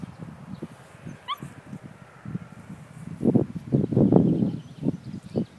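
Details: Leonberger puppies at five weeks old give short, low yaps and yelps in a loose burst that grows louder in the second half, with a single rising whistle early on.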